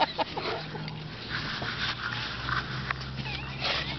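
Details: English Mastiff Dozer and Boxer Bo playing together at a dog park; rough snuffling and breathy grunts with a few brief high whine-like squeaks near the end, over steady outdoor background noise and a person speaking nearby.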